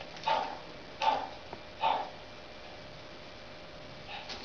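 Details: French bulldog puppies playing: three short, sharp, high yapping barks about a second apart, then a softer fourth bark near the end, over a quiet indoor background.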